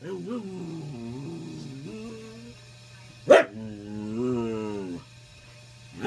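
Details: Older dog warning other pups off the bed with a "get off my lawn" bark: long, wavering, moaning grumbles before and after one abrupt sharp bark, with a steady low hum throughout.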